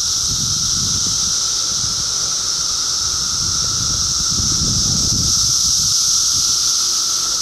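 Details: A mass of cicadas recorded in 2013 produces a continuous sizzling, high whine that never breaks, while soft low rustling bursts rise briefly near the start and again around the middle.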